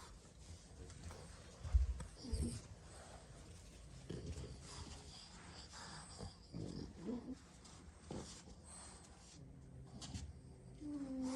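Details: Six French Bulldog siblings nap indoors, sprawled about after plenty of play; low, rough snoring bursts come irregularly, strongest near two seconds and again around four, seven and eight seconds, amid a soft room hum.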